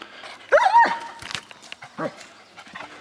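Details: Cotton, an 8-month-old Great Pyrenees male weighing 90 lbs, at a mission trip work site: one loud, hoarse bark with a falling whine, then a shorter lower woof, with faint human voices in the background.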